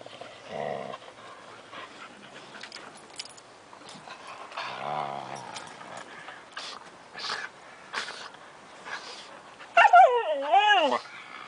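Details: Five-month-old Siberian Husky puppies at play in summer 2008 with two adult Huskies; scattered growls and scuffling, then a loud wavering high yelp near the end.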